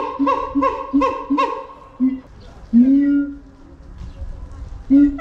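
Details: Keiji the siamang screaming in his enclosure at Nagoya's Higashiyama Zoo, February 2021, in a cheerful mood: four quick harmonic barks, a pause, then a long, rising, booming wail and one more bark.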